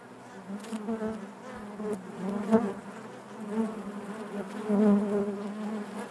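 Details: Steady droning of honey bees within the hive, a low buzzing chorus with gentle swells and one sharp knock partway through.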